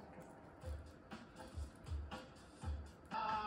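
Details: Music with low repeated thumps and muffled background sound, no animal voice present.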